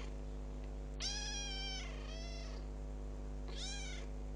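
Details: Recently adopted kitten, ten days into its new home, calling with two long, clear, high meows that arch up and fall, the second trailing off, then a shorter third, over a constant low hum.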